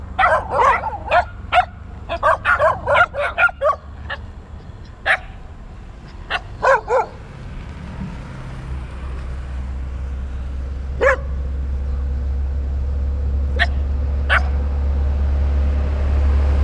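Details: Dogs chasing and barking at a cyclist on a round-the-world bicycle trip: a burst of quick sharp barks in the first seven seconds, then a few isolated yips over rising low wind or road rumble.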